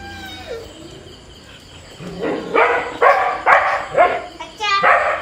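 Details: Two dogs, a husky and a border collie, squabbling playfully in Kerala: a falling whine opens, then harsh, rough barks and growls in quick bursts about every half second, ending on a short rising whine.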